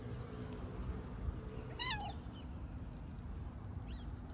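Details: Sociable tabby street cat living near a music school in a city, asking to play longer; a single falling meow rises from steady low background rumble, with a faint second call near the end.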